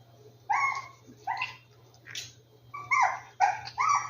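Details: Rescued puppies in an indoor room yipping: short, high, bright yelps with strong harmonics, about six of them spaced irregularly across a few seconds, with a low steady hum beneath.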